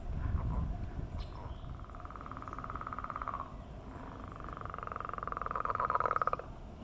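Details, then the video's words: Several frogs in a morning chorus on a millrace, giving mating calls: long rapid pulsed trills that rise and fall in loudness, one building to a strong finish near the end, with low background rumble. "Enjoying The Mating Call of Frogs on the Millrace"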